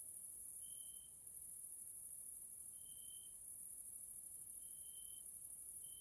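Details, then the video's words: Grasshoppers in a Hungarian nature area, Central Europe, in the evening: a steady, very high-pitched hiss runs throughout, with short pure tonal notes repeating roughly every two seconds. "grasshoppers sounds in nature area Hungary Central Europe"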